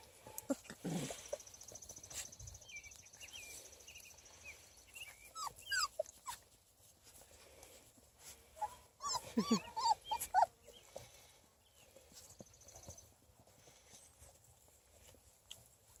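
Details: Young Beagle pups, 3.5 weeks old, at play outdoors; scattered soft squeaks early on, then a burst of wavering, rising and falling whines and yelps near the middle, over a faint hiss and light shuffling.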